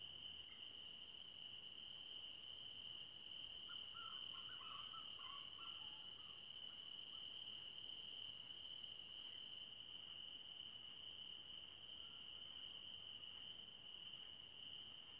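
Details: Crickets sing through a forest night as one sustained, shrill tone, with a quicker pulsed chirping high above that returns after ten seconds. Soft, short mid-pitched calls sound around four to six seconds.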